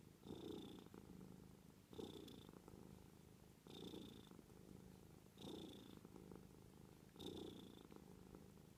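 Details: Pet cat purring softly in a regular rhythm, each breath cycle lasting close to two seconds, with a thin higher tone marking each inhalation over the continuous low rumble.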